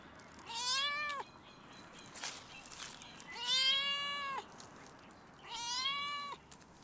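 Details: Stray domestic cat on a fence at a campus closed due to coronavirus, meowing at a person: three drawn-out, slightly falling meows about two seconds apart, each near a second long, with quiet outdoor background.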